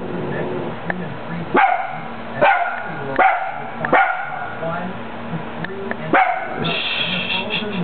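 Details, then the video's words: Italian Greyhound, a male, barking at himself: a run of strong, harmonic barks repeated roughly every second, while a person talks over him throughout. "the IG barking"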